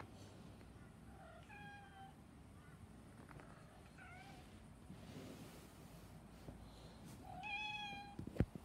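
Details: Black cat meowing repeatedly: short harmonic meows early on, then a louder, longer drawn-out meow near the end, against a constant low background hum.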